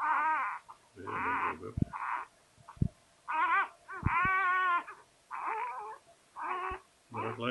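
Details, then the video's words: Newborn Labrador Retriever pup just born to Sofia, crying in a run of high, wavering, harmonic squeals of about half a second each, nearly continuous with short gaps. Soft Dutch encouragement is heard nearby. "Geboorte labrador pup"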